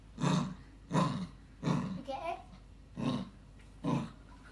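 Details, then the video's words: Maltese terrier bitch guarding her chew stick, growling in motorbike-like bursts: five deep rumbling pulses under a second apart, with a brief higher voiced sound between the third and fourth. "When the Maltese terrier doesn't want to give up her chew stick she pretends she's a motorbike"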